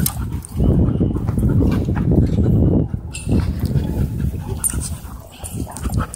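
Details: Dog playing at a dog park, climbing onto a man's back, panting close by: rapid low, rough huffing breaths at roughly three to four per second, in bursts with brief pauses, amid rustling and faint background voices.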